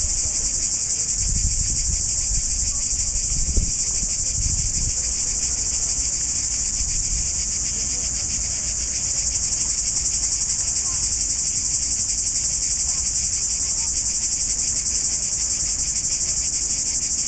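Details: Cicadas chirring on a dry-looking tree branch in Budva on July 14, 2012; a loud, steady, high-pitched buzzing drone runs unbroken throughout, with some low rumbling early on.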